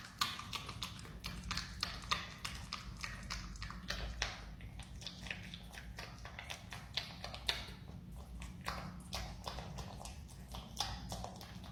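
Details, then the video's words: A marmot eats a banana, its chewing a steady run of sharp, crunchy clicks and wet smacks, several per second throughout, over a constant low hum. "Marmot chewing banana makes relaxing sound"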